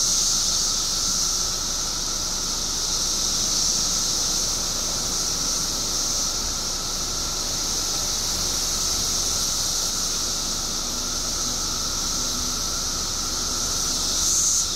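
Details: Billions of periodical cicadas out after 17 years below ground in Illinois make a dense, ceaseless buzzing hiss over a soft constant hum, the high sound rising a little at the very end.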